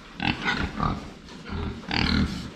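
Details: Several farm pigs in a pen, filmed from the front while drinking water: short low grunts in bursts about every half second, with brief snorty noises and faint clatter between them.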